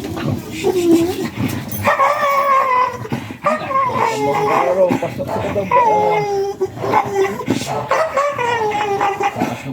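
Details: American Bully dog during a stud (mating) session in Sta. Barbara, Pangasinan, Philippines: high, wavering whines and whimpers come in drawn-out bursts, some sliding up and down, over people talking nearby.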